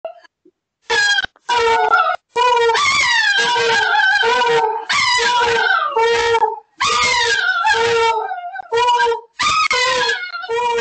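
An Alaskan Malamute howls in long, wavering, rising and falling tones broken by brief pauses.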